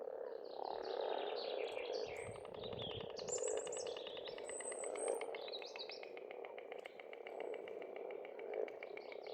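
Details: Pond frogs in spring in Estonia call as a continuous rasping chorus with rapid pulsed trills. High, sweeping whistled birdsong runs over the top for most of the recording.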